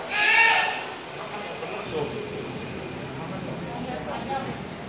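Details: A single harmonic mountain goat bleat in the opening second, kept as livestock at SDC Gading Serpong park. Quiet background hiss and faint voices follow for the rest of the recording.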